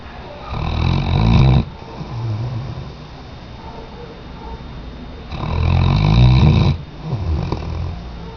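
A Weimaraner snores deeply, each long rumbling breath rising and falling at a slow, steady pace.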